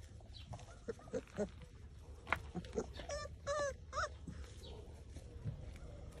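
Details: Cane Corso giving a run of short, thin whimpers and whines, several rising and falling, bunched between three and four seconds, over a steady low rumble of background noise.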